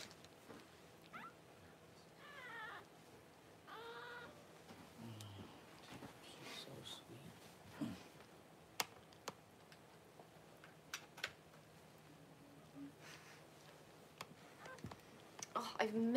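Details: Newborn Cavalier King Charles Spaniel puppies, the first two whelped at home by their mother Paris around January 1, let out short, shrill wavering squeals amid rustling, clicks and bumps from the whelping area.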